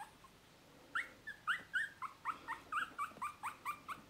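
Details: Dog giving a rapid series of short, high, rising whimpering yips, about four per second, each a thin upswept note, moderately faint against a quiet background.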